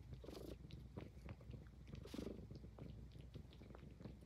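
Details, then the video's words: Indoors, a Highland Lynx cat purrs steadily while grooming, the deep rumble overlaid with crisp licking strokes and small chewing clicks roughly every half second. "Cute Cat Purring and Grooming l ASMR l Highland Lynx Cat"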